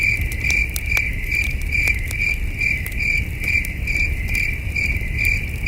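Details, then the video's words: Crickets chirping at night at a starry wilderness campsite, a steady band of pulsed chirps repeated about twice a second, with crackling campfire pops and soft low rumble underneath. "Soothing Cricket Sounds"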